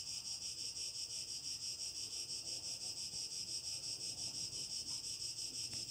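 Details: Cicadas on a summer evening, heard from a home terrace near the countryside, sing a dense, high, sizzling drone that pulses about three times a second.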